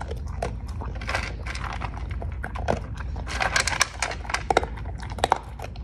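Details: Cocker Spaniel eating dog food, producing irregular dry crunching and chewing bursts that grow denser and louder in the second half, with a low background rumble.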